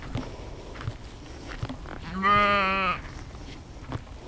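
A sheep gives a single wavering bleat, rich and nasal, against faint outdoor rustling.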